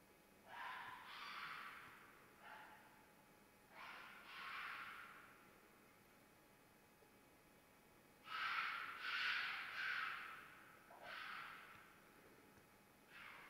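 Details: Red fox in mating season uttering a series of harsh, breathy screams in irregular bouts, some short and some drawn out, with quiet gaps between groups of cries.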